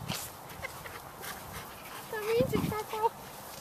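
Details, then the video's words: Dogs at play in November 2013, among them Black Russian Terriers Sadie, 5.5 years, and her 10-month-old daughter Yara, plus a 9-year-old Chihuahua and an 8-month-old terrier; a brief high, wavering whine rises and steps up and down near the end, after talking voices. "Play Time"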